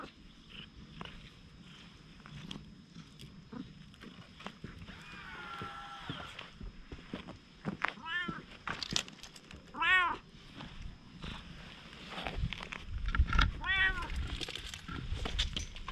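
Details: Stray cat, wary at first and then growing bold and affectionate, filmed on a GoPro HERO8. Several short rising-falling meows come around the middle and end, mixed with footsteps and a person's soft speech over a low outdoor rumble.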